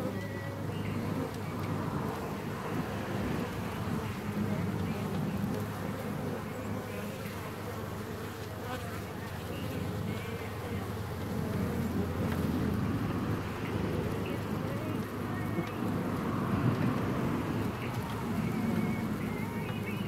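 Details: Honeybee hive in June, a thick unbroken buzzing hum of many bees that swells slightly midway.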